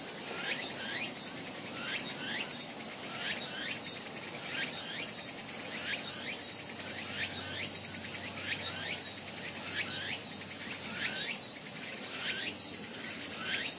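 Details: A raccoon dog cub named 輝夢, born in 2012, squeals as its sibling 大夢 bites its tail on 14 August; quick rising yelps in uneven bursts, sometimes doubled, over a constant high buzzing of insects.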